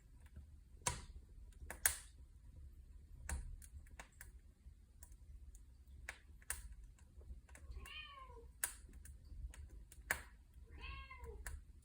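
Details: Domestic cat beside a fireplace, mewing twice near the end, each meow a brief arched cry sliding downward, over steady crackling and popping from the fire.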